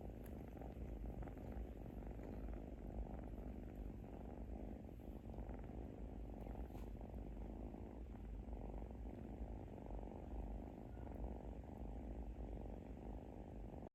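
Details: Soft, steady snoring of a sleeping kitten, a low throbbing rumble of quick fine pulses running without pause for fourteen seconds before stopping abruptly.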